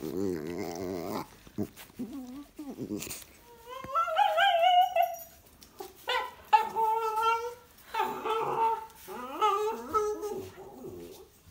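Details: Prince Charles spaniel being babysat indoors keeps 'talking' to people. It gives a series of whiny, wavering, rising and falling whimpers and yowls, some long and drawn out. A few short gaps and faint human voices appear between them.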